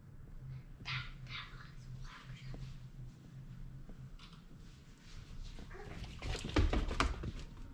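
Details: German Shorthaired Pointer barking while chasing squirrels: a couple of short, harsh barks early on, then a louder, denser burst of barking near the end, over a low, steady background hum.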